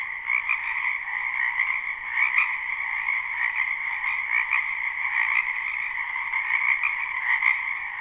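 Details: Frogs calling in a springtime wetland behind a house, live recording: a steady, dense chorus of high croaking trills at two stacked pitches, with frequent brief louder bursts from nearer callers scattered across the constant background.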